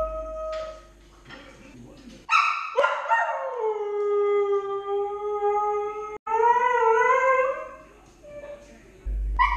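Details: Lady, a 10-month-old Siberian Husky puppy left home alone and tired, howls: after a faint opening tone comes a long howl that falls then holds steady for about four seconds, followed by a rising-then-falling howl and quiet.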